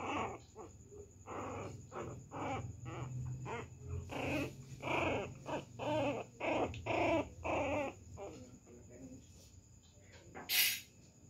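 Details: Pinscher puppy teasing and pestering a poodle at home, giving a rapid run of short harsh barks and whiny yelps in irregular bursts, with a steady high electronic tone throughout and a sharp clatter near the end.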